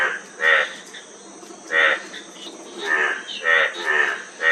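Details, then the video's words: A frog gives short, rasping, pulsed croaks in separate bursts about a second apart, with a faint steady hiss behind. "Frog Sound--Frog Sound Effect 15 min"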